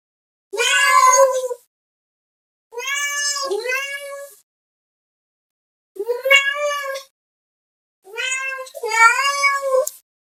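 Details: Cat calling out to another cat in four bursts of meowing, some single and some doubled, each a rising then falling nasal wail, spaced about two seconds apart in otherwise quiet surroundings.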